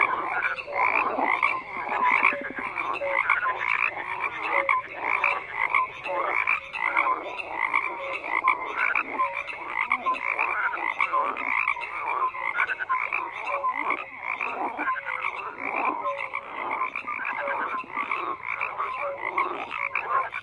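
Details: A frog chorus croaks steadily throughout, rapid raspy pulses from many callers overlapping into a dense wall of sound that swells and dips every second or so, with occasional short tonal notes.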